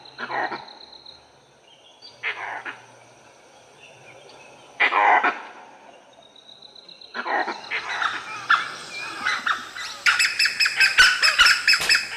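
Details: In an Indian forest, ever-watchful gray langurs give harsh, explosive alarm barks, spaced at first, then quickening into a rapid clamour, as a pack of wild dogs (dholes) trees a leopard.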